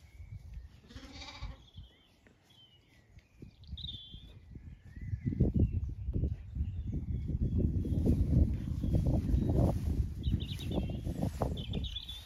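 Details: Zwartbles sheep roaming an orchard in bloom at a regenerative farm, County Kilkenny, Ireland, in the evening; one shaky bleat early on, then birds chirping over heavy trampling and rustling from moving animals.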